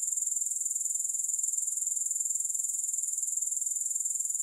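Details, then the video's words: A grasshopper chorus without music, a thin high sizzling trill pulsing several times a second, even and unbroken throughout. "3 Hours of Grass Hopper Sounds"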